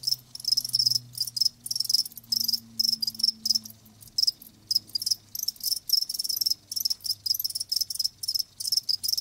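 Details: Chorus of live crickets giving rapid, shrill, pulsed chirps in tight bursts across the whole stretch, with a faint low droning tone in the background.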